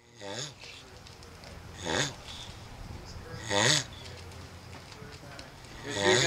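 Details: Turtles calling while mating: a low, hoarse groan with strong overtones, repeated about every one and a half to two seconds, four times.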